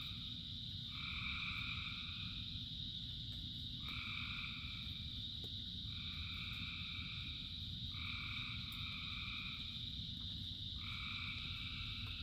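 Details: Massed frog chorus during rain: a bright constant high buzz overlaid with paired sustained trills lasting one to two seconds, recurring about every two to three seconds, above heavy steady rainfall.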